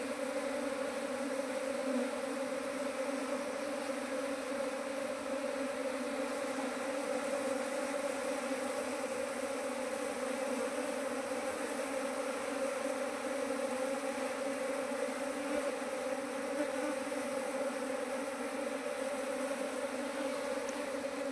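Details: Honey bees buzzing steadily around hives and bait traps, a keeper's colonies grown to nineteen in two months this year; a continuous droning hum with a strong low fundamental and stacked overtones, unbroken for twenty seconds.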